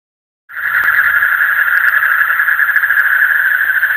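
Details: Frogs calling in the deep night: after half a second of silence, a dense, unbroken trilling chorus sets in, pitched high and steady with a fainter upper overtone, rapid pulses blurring together throughout.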